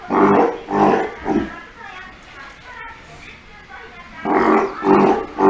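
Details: Steller sea lion pup, around three months old, growing up with its mother Hina at Ise Sea Paradise aquarium in Japan. A run of three hoarse, harmonic bleats, a lull, then two more close together.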